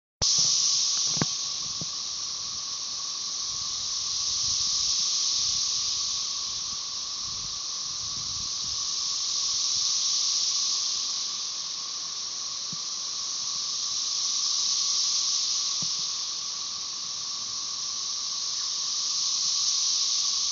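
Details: Countless Magicicada tredecassini of Brood XIX, 13-year cicadas, with M. tredecim behind, at Tyler Bend Park near Marshall, Arkansas, May 30, 2011, merge into a high sizzling buzz swelling and fading roughly every five seconds over a faint lower drone.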